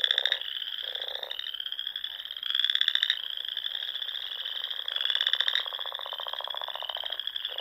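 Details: Spring frog chorus from the ponds of Nebraska's Sandhills dunes at dusk: a steady, high, shimmering trill runs throughout, louder pulsed trills swell in about three waves, and softer low croaks appear beneath.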